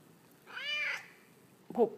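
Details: Indoors, male pet cat Peyton gives a long, full meow while conversing with his owner about his day. A short, sharp, louder sound follows about a second later.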